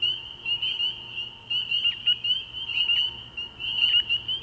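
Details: At a frog pond on an early spring night, spring peepers form a shrill, massed chorus; individual high peeps with short downward slurs rise out of the constant ringing wall of sound.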